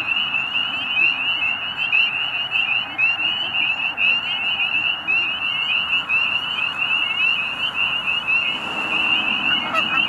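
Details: Many spring peeper frogs in Pennsylvania's Middle Creek Wildlife Management Area giving mating calls as the weather warms toward spring. Sharp, piping rising notes pour out nonstop in a thick overlapping chorus, with a brief rushing noise near the end.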